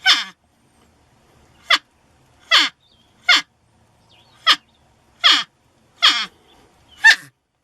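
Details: A porcupine utters a rapid string of eight short, harsh squealing cries, each dropping sharply in pitch, coming roughly once a second against near silence.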